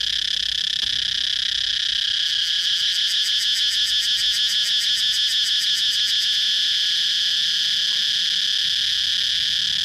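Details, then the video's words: Cicada's high, sizzling buzz runs without pause; midway the upper part of the sound takes on a rapid pulsing throb for several seconds before smoothing back into a steady drone. "cicada chirping sound"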